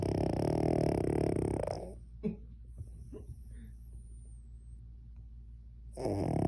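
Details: Sleeping Cavalier King Charles Spaniel snoring deeply; a long, rough, droning snore fills the first two seconds, soft breaths and small clicks follow in a quiet gap, and a fresh loud snore begins near the end.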